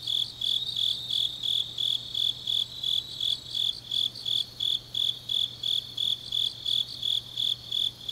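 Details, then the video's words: Autumn night chorus of grass insects in Changnyeong, South Gyeongsang Province, Korea; high-pitched pulsed trills repeat evenly, close to three each second, over a soft constant low hum. "깊은밤 가을 풀벌레 소리"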